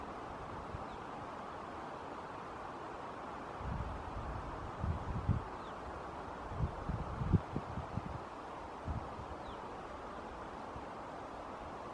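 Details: Only steady wind and rustling can be heard, with a few low thumps of wind buffeting and no clear animal call.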